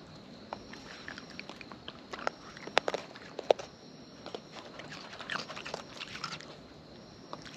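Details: Wild raccoons eating, recorded close up: scattered sharp, crunchy bites and wet smacks, irregular and bunched around the middle, over a soft steady hiss with a faint high tone.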